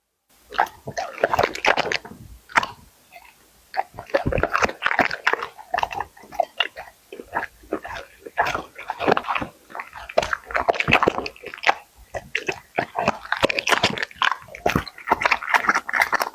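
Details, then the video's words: Labrador eating dumplings, broccoli, eggs and prawns: wet, crunchy chewing and biting in dense bursts, separated by short pauses of a second or so, with quick smacking sounds throughout. "Dog eats dumplings, broccoli, eggs and prawns."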